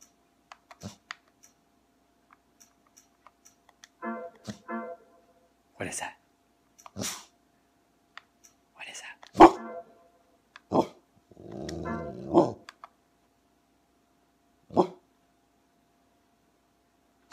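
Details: Indoors at home, a resting male dog wakes to give short, sharp barks and gruff woofs, annoyed by the beeping electronic tones of a PS3 store menu when its options and X buttons are pressed.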